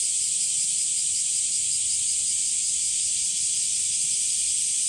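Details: Cicadas in summer heat at Umami Hills Park among sunflowers, a dense continuous high-pitched hiss-like drone filling the upper range without pause, steady and loud throughout.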